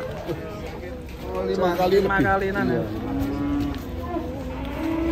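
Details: Cattle mooing in a long, wavering low call that rises then sags, overlapped by people talking nearby and faint music.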